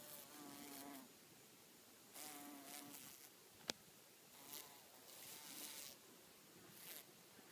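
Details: Mating bees buzz in clear humming bursts about a second long, returning every second or two, with a sharp click midway and gusts of wind between.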